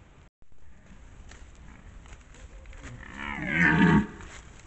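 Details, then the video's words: Red deer in rut in the Považský Inovec mountains of Slovakia, 2025. One deep harmonic bellow builds from about three seconds, peaks loudly, then breaks off before four seconds, over a quiet forest background. "Red DEER Rut 2025"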